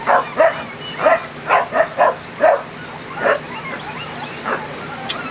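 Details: Kerry Blue Terrier puppies aged 20 days, first time outside in a play area in June, giving high-pitched squeaky yips and whines, several close together early, then fewer and fainter.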